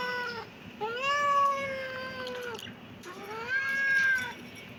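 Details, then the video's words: Kitten meowing: two drawn-out, high, tonal meows, each rising at the start and holding steady for over a second before trailing off, separated by a short pause. "kitten meowing"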